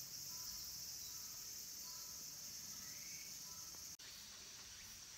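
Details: Cicadas, named as minmin and tsukutsukuboshi, sing near the end of summer at Kabusanji temple among the mountains of Takatsuki City, Japan: a steady high hissing drone without breaks, with faint whistled notes beneath and a short dropout near the end.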